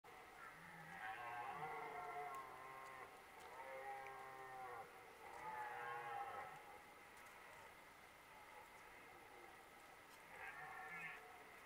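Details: Red deer stags, two of them, roaring in the 2023 rutting season: long, faint, harmonic groaning roars in a loose series with short pauses between bouts, heard from some distance over a steady background hiss.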